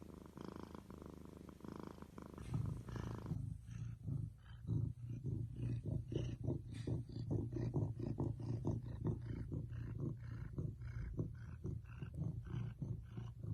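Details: Domestic cat purring very close: a deep, throbbing rumble, smooth at first and then breaking into strong, regular pulses about once a second, heavy in low tones.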